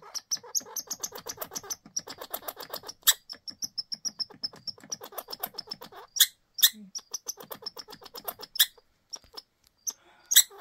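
A squirrel gives rapid, repeated chattering alarm calls with sharp high squeaks mixed in.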